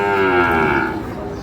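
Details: Sahiwal bull calf being fattened for sale at Ambari haat, Parbatipur, Dinajpur, Bangladesh, 11 May: one steady, drawn-out moo lasting about a second, held at an even pitch and fading at the end.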